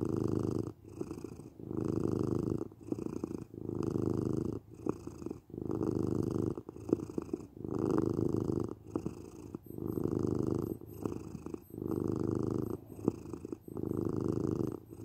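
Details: Domestic cat purring steadily indoors, a low rumbling buzz pulsing in long phrases about every two seconds, each swell separated by a short quiet breath, for relaxation and sleep listening.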